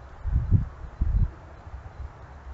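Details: Wild boar exploring at night gives two short, deep, rough grunts about half a second apart, low-pitched bursts over a steady low background rumble.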